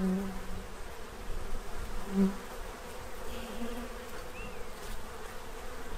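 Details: Bees feeding at a tray to prepare for winter in Central Illinois; a low, steady droning hum with brief louder swells, plus a short rising chirp near the end.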